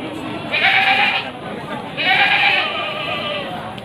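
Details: Male Etawa goats for sale at Pasar Wage livestock market in Panggul, Trenggalek, Indonesia, 18 May 2020, ahead of Qurban: two loud, nasal, wavering bleats about a second apart, each under a second long, over market murmur.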